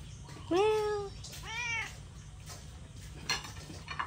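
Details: Two hungry cats' meows in quick succession, the first rising then level, the second a short arched cry, followed by soft clinks like dishes and low hum.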